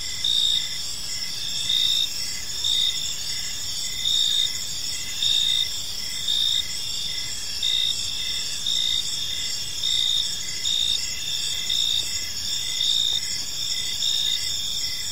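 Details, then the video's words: Crickets in an evening park: bright, high chirps recurring roughly every two seconds, standing out over an unbroken ringing chorus of insects. "Park Serenade: Cricket Sounds in a Peaceful Park | Evening Ambience"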